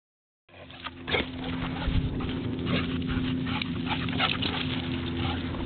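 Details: Excited male Portuguese Water Dog on a December hike in the foothills, grunting: short low rough grunts and whimpery nasal sounds, irregular and rapid, over a steady low hum and rustling movement.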